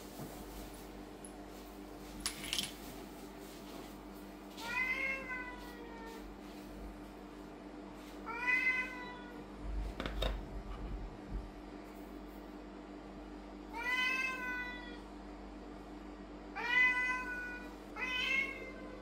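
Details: Loud, repeated meowing from a Lynx point Siamese cat at home while new toys and gourmet wet food are shown; five harmonic, slightly falling meows spaced a few seconds apart, with a thump and rustling between.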